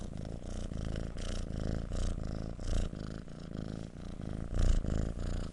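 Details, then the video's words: Purring kitten heard close up: a low vibrating rumble rising and falling with each breath, with a few louder swells in the second half. "kitten purring"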